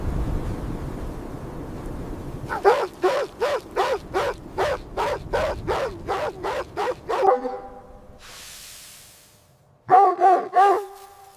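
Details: Winter scene of puppies playing with their mother dog in fresh snow. A steady run of about a dozen evenly spaced barks over several seconds, a pause with a soft hiss, then three more quick barks.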